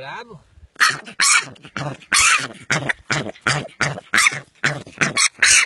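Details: Piglet of a wild boar at an early age squealing hoarsely in a fast series of harsh bursts after a brief human voice at the start.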